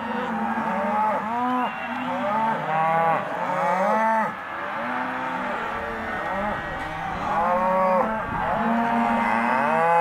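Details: Half-tooth Hereford and Careta cows penned as a sale lot, a crowd of them mooing; continuous overlapping lows, arched in pitch and repeated every second or so, with a short dip in volume around four seconds.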